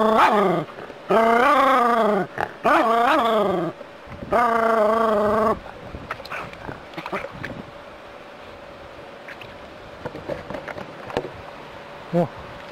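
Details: A city-dwelling Jack Russell terrier facing a rat snake lets out a burst of tonal whines and yelps, some rising then falling, in the first five seconds. Softer clicks and shuffling follow.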